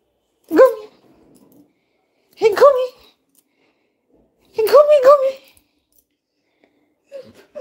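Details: Labrador Retriever called Coco, indoors in a small room: four short, tonal bark-yelps that rise and bend, spaced about two seconds apart, with the third burst longer and wavering and a faint final one trailing off.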